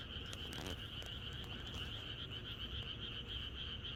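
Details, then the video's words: Massed frogs croaking in rural surroundings the night before rain, overlapping calls forming a steady pulsing drone, a few sharp taps early on, with low-frequency background noise throughout. "개구리들의합창#비가 오려나?이것이 자연의 소리 ~개구리들의 합창"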